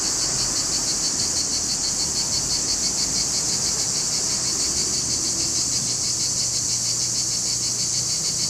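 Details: Male cicadas sing in a loud, continuous, high-pitched shrill buzz with a steady pulsing throb, recorded in July 2020 in Larissa, Greece.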